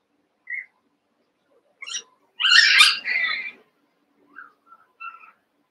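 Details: Cavalier King Charles Spaniel puppies, one month old, eight together in an indoor pen, wrestling and playing: scattered high thin yips, then a loud, rough, broadband bark-and-squeal burst lasting about a second, followed by softer short yelps.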